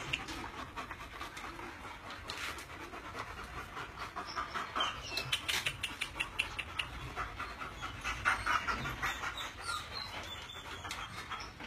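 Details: Male German Shepherd panting rapidly, a rough breathy huffing repeated a few times each second for the whole stretch, over steady background noise.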